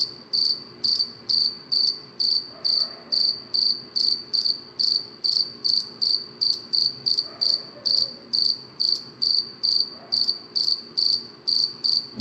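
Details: Cricket chirping at night: a steady run of short, high, ringing chirps, each a tight pulse cluster, repeated a little more than twice per second with even loudness and no other clear sounds.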